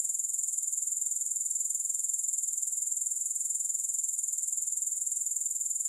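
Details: Grasshoppers in a long relaxation recording without music: a steady, shrill, very high-pitched buzzing trill, finely pulsed at a fast even rate, unbroken throughout with no other sounds.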